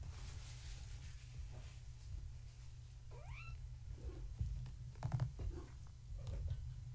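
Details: Kittens born March 14, 2017 to Gaia, a floofy tabby, playing at bedtime indoors. A single quiet rising meow midway, followed by light tapping and pattering against a low background hum.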